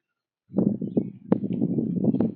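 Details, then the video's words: Whitetail doe and fawn eating a pile of corn at sunrise on a trail in colorful fall woods; after a short silence, loud close crunching and chewing, a dense irregular low crackle with sharp clicks. "Whitetail Doe & Fawn Eat Corn at Sunrise"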